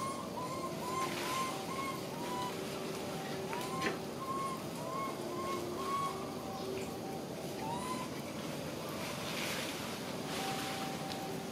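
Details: A big young monkey gives repeated short, rising, whistled cries, calling its mother for help.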